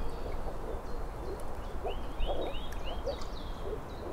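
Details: Moor frog (Rana arvalis) chorus: scattered soft, low, muffled pulses come every half second or so. Several quick rising bird whistles run in a short series, with a constant low rumble beneath.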